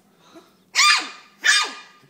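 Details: Poodle puppy that cannot get up some steps, barking indoors: two short, sharp, high-pitched barks about three quarters of a second apart, with little else heard in the room.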